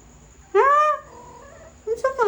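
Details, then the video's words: Persian cat meowing while talking with its owner: one loud, drawn-out meow that rises then falls over about half a second, followed by a fainter murmur and the start of another call. "Talking with my cat"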